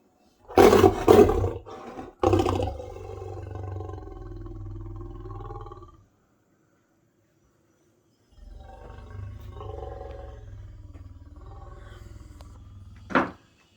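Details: Lions calling near a South African nature guide's camp in the early morning while he makes coffee; several deep, loud bursts at the start, then long low moaning rumbles that fade, pause, and return, ending with a sharp knock.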